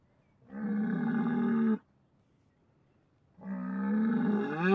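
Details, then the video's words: Bull giving two drawn-out, low moos, the second rising slightly in pitch at its end, with a quiet pause between them. "ANIMAL SOUNDS : BULL"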